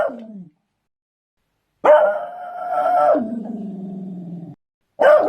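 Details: Beagle with a clipped bay, then a full bay lasting nearly three seconds that drops into a lower droning tail, and the start of another loud bark.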